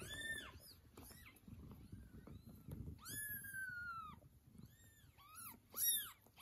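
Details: Domestic cats, a mother cat retrieving her kittens after they were taken away, she reacting to their meowing; high, arched meows, one long drawn-out cry in the middle, others short, over a low indoor rumble and scuffling.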